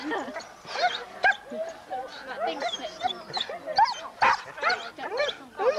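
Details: Huskies at a sled dog race weekend in the Forest of Dean, November 2001, taped on old VHS: a chorus of excited overlapping yelps and short barks from several dogs, irregular and bursting every second or so.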